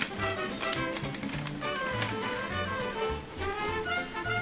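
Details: Background music with tapping, typewriter-like percussion and a steady bass line fills the room, with no animal sound standing out.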